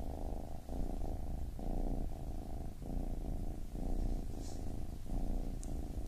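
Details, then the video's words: Deep, even purr of a baby kitten, pulsing in short breath cycles under a second long, with a quiet click near the end. "Baby Kitten Purring"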